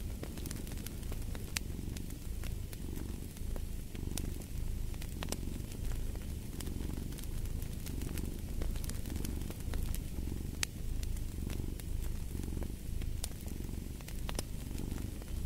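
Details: Cat's deep purr pulsing in regular breath cycles under a cozy fireplace, with scattered sharp crackles and pops of burning logs layered over the steady rumble.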